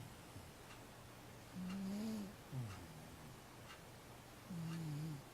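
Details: Matchan, a 15-year-old cat dozing through the day, gives two drawn-out, low, tonal snores about three seconds apart, with a short dipping snort between them, in a quiet room.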